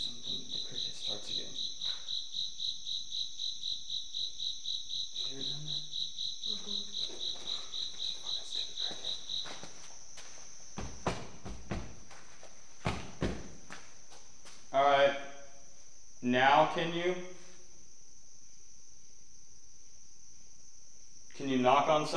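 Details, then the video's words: Persistent cricket inside a reputedly haunted Illinois manor, a high rapid trill continuing for nearly ten seconds then falling silent, followed by loud bangs, knocks and several bursts of people talking. "every time I think I hear something the cricket starts again"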